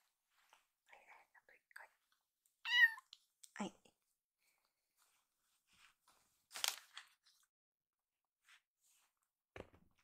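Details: Rescued kittens Hoshi and Iru, being treated for stomach trouble with oral medicine morning and evening, resist being dosed after a meal indoors. One short, wavering meow stands out, with soft murmurs, faint clicks and a sharp rustle later.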